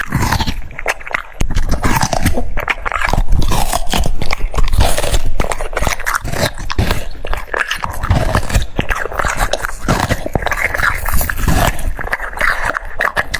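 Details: French Bulldog munching cucumbers: a long run of steady, crunchy chewing, several bites per second, with wet lip smacks and occasional snuffling breaths, no other sounds.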